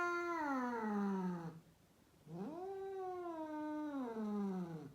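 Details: Rescued female cat in Mumbai, India, yowls in two long wailing calls, each rising then sliding downward in pitch, separated by a short pause, in a quiet indoor setting.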